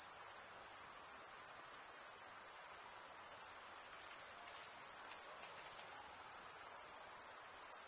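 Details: Male crickets stridulating by drawing one wing across the serrated vein of the other. Continuous high, thin trilling with a rapid even pulse holds steady for the whole stretch, with nothing else audible.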